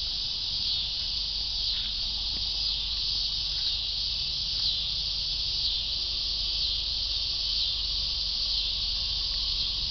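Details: Continuous high buzzing of cicadas with gentle swells in loudness roughly every second or two, over a faint low background hum.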